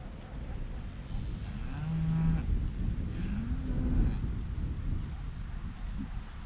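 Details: Holstein-Friesian dairy cattle in West-Friesland, northern Holland: a deep, steady moo about half a second long, then a lower call that swells and falls, over a continuous low rumble like wind.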